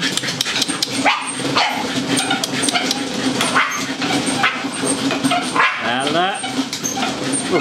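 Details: Two dogs having fun running on a Firepaw treadmill give short yipping barks and a rising whine near the end, heard over rhythmic treadmill clatter, background music and a person's voice.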